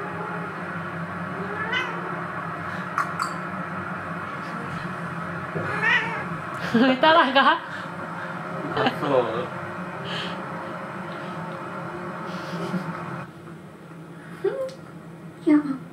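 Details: Munchkin cat said to long for a former companion, calling indoors with a few drawn-out, wavering meows scattered among people talking and a constant low hum.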